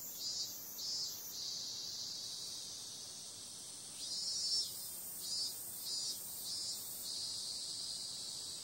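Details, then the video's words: High, even buzzing of cicadas on a summer night, with several short louder rasping pulses rising out of the steady drone midway through. "Cicada sound"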